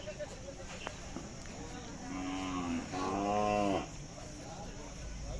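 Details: Khillar cow offered for sale at the Athani fair, Athani taluka, Belagavi district, on 23 April 2024. A single low, harmonic moo lasting under two seconds dips slightly, then swells louder before stopping, over background fair chatter and hum.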